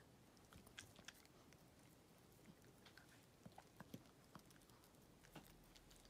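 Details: Pet dog Walt eating during a Golden Week chewing-sound challenge, recorded close up indoors: soft, irregular crunching and sharp clicking bites scattered through a quiet room, louder snaps every second or so.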